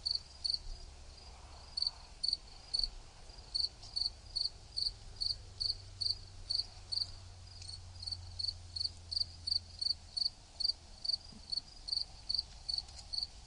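A cricket chirps steadily, giving short high pulses about two to three times a second.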